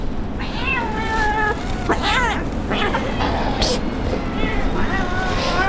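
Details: Kitten abandoned by its owner, crying at the street: several thin, wavering meows with rising-then-falling contours, partly overlapped by a man's voice and steady low background noise.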